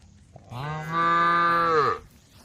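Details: A tame female cow in a group on a road, calling to the herd. A single sustained moo lasts about one and a half seconds, rich and steady, then fades out.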